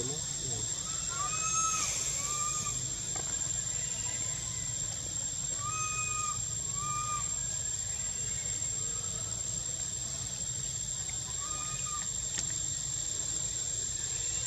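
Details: Whistling for milk, a young monkey in spring among the Angkor Wat and Bayon temples of Cambodia gives clear arched whistles with a faint upper overtone, often in pairs, against a steady hiss and a continuous high-pitched whine.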